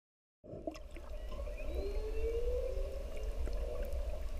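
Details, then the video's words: Humpback whales singing softly in the distance while a mother and her bubbling calf drift to the surface; a long rising then level moaning tone with a fainter higher whistle, over steady low water rumble. "Bubbling Humpback Calf and Grunting Mom"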